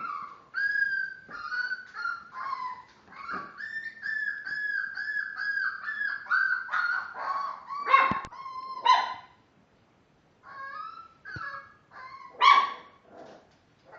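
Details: Miniature Dachshund puppies five weeks old, born March 30th, whine in long, level, high cries with a few sharper yips near the end, then fall briefly quiet before fresh whimpers resume.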